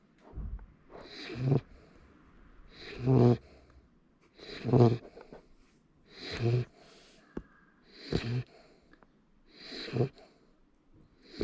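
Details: Sleeping Labrador Retriever puppy snoring indoors: a steady rhythm of raspy, snorting breaths, each rising and falling about every one and a half to two seconds, with an airy hiss on every inhale.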